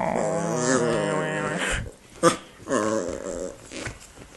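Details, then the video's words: Pet dog Indy, restless after a meal and eager to play, grumbles indoors: a wavering, moaning growl for under two seconds, a sharp knock, then a second shorter grumbling growl that fades out. "Talking to Indy"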